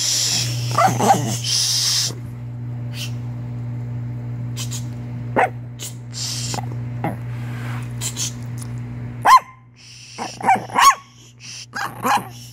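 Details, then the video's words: Chihuahua giving scattered, short, high yelps at first, then a tighter cluster of sharp downward-sliding yips near the end, with a constant low hum and some rustling in the background. "Weird chihuahua noises"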